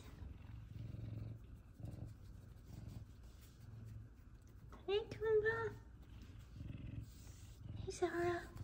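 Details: F2 Savannah cats Kumba and Zara happy that their owner is home from work: low purring through the first seconds, then a quavering meow and a final brief meow, with a woman calling their names indoors.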